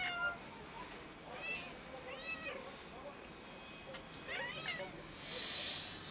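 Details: Two domestic cats, a big white one and a black one, begging for food on a cold day; a series of short rising-falling harmonic meows repeat through the stretch, with background rustling and a brief hiss of noise near the end.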